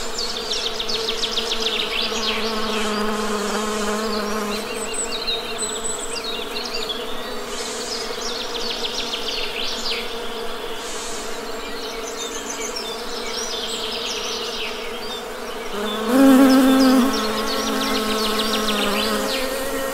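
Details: Honey bees droning in nature, a dense low hum that briefly swells and rises in pitch as a bee passes close near the end, with birds chirping in the background.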